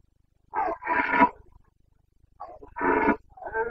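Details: Carpathian red deer stag in the Bucovina mountains of Romania during the breeding season, 29 September 2022: two loud, hoarse harmonic bursts, each under a second, separated by a short quiet gap, with a fainter trailing call.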